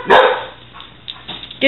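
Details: A dog, a six-month-old Weimaraner or six-year-old Catahoula, plays with a ball and gives one sharp bark near the start, then softer sounds and another short yelp at the end, with a woman urging it to get its ball.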